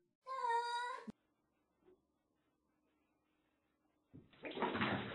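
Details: Domestic cat playing in water: a single drawn-out, tonal meow lasting under a second, rich in harmonics, followed by near silence and then a burst of splashing water noise at the end.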